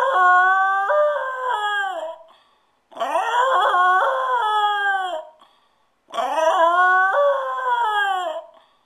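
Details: Dog left alone at home, howling in distress: three long, quavering howls of about two seconds each, separated by short pauses, the pitch jumping upward within each howl before sliding down at the end.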